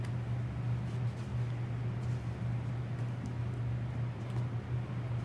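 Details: A constant low drone like an engine or fan, with soft background noise and no animal voice.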